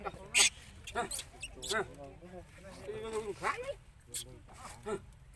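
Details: Baby monkey Lucie cries loudly after her mother refuses her milk. Short, harmonic squeals and shrill bursts, some arching up and down in pitch, come roughly once a second in uneven bouts, with faint background sounds between them.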